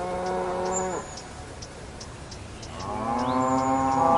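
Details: Cow lowing: one moo ends abruptly at one second, a short quiet gap follows, then a new rising moo builds and grows louder through the final second.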